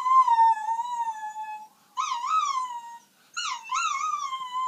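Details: Miniature Schnauzer howling at an ambulance, giving three wavering tonal howls, the later two starting with a quick upward swoop then wobbling and falling gently, separated by short pauses.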